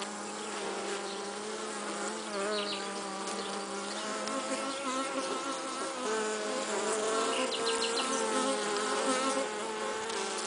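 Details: Honey bees carrying pollen, a continuous rich drone of stacked humming tones, some gliding up and down as bees approach and pass, with soft fluttery ticks above.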